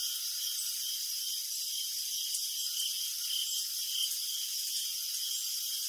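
Crickets chirp together at night, a steady high shimmering chorus with no other sounds.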